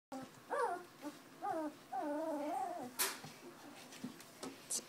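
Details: Two-week-old puppies from Tucker and Libby's litter, eyes just opening and starting to wobble-walk, let out a run of high, wavering whimpers and squeaky yips, several overlapping, with brief clicks and shuffling in a small room.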